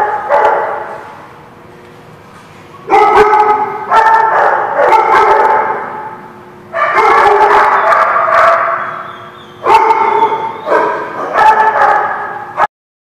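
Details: Dogs barking at The Barking Lot, recorded 12/3/16. After a quiet start, repeated volleys of short, harsh barks come in clusters roughly every one to three seconds, with overlapping voices and brief pauses, ending abruptly.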